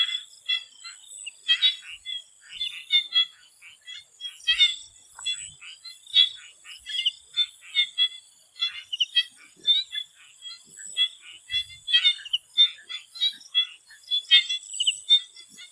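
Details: Thai swamp before sunset, filled with a busy chorus of many frogs giving quick clicking, pulsed croaks in rapid succession, overlaid by a constant high-pitched insect hum.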